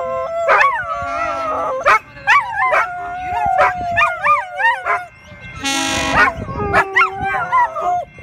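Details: Three poodles join in a howling chorus set off by a train whistle, their wavering, sliding tones overlapping, broken by a brief loud burst of noise midway before the howls resume.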